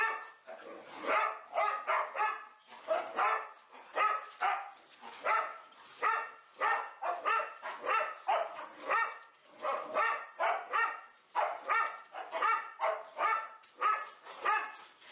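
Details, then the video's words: Four boxer dogs named Elsie, Gertrude, Bowling and Cierra romping in their indoor play room: a steady run of sharp, tonal barks and yips in quick bursts, often paired, continuing without pause throughout. "4 boxer dogs playing"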